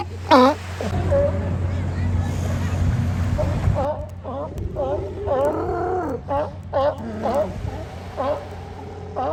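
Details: Hundreds of sea lions hauled out at a harbor beach in Oxnard, California, during their annual migration, bark in short, hoarse, repeated bursts over a steady low engine-like rumble.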